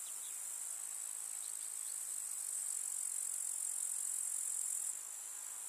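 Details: Grasshoppers of a summer meadow keep up a constant shrill, fizzing trill, holding steady and then falling quieter near the end, a few faint chirps scattered early on.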